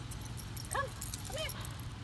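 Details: Chance, an eight-month-old Boxer/Pit Bull mix in training in New York, gives two short arched whines about half a second apart, each rising then falling, over a steady low hum.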